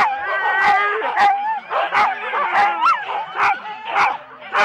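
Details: Huskies in four-dog sled teams at the start at Rendlesham, January 2016, recorded on analogue cassette: many dogs bark and yip at once, sharp barks about every half second over overlapping high whining yelps.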